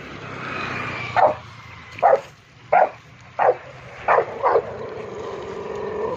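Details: An angry Rottweiler reacting to a cow gives a series of deep, short barks, spaced irregularly about a second apart.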